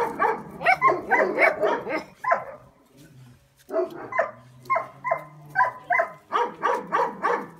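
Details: A litter of Kuvasz puppies barking: rapid, high-pitched yips in dense overlapping runs, a short lull near the middle, then steady repeated barks resuming.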